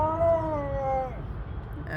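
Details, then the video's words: Siberian Husky howling, described as mad at mother nature; one drawn-out, slightly wavering tonal howl, falling at the end and lasting about a second, followed by low rumble and a brief sound. "Mad at mother nature. #husky #huskylife #siberianhusky #cute #huskypuppy #funny #howling #talkingdog"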